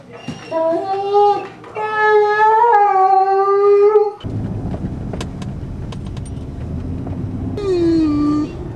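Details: Liam the singing Irish Wolfhound howls in short rising and wavering tonal notes for about four seconds, then a quieter indoor stretch with a person speaking before a final falling howl.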